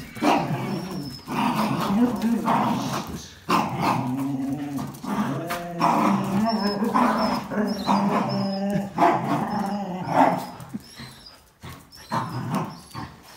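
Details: Jack Russell Terrier and two Border Collies, one black-and-white and one red-and-white, tugging over a towel; dense overlapping growls and short barks in rapid bursts, with human speech mixed in and a faint high squeaky tone.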